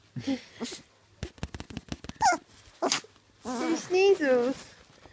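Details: A 3-week-old female red Labrador puppy gives what may be her first barks, high wavering yelps, amid people talking and laughing.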